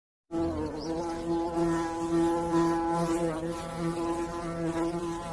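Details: Giant honey bees at a hive in an old forest, giving a steady droning hum that holds a low, stable tone with slight wavering, loud and continuous throughout.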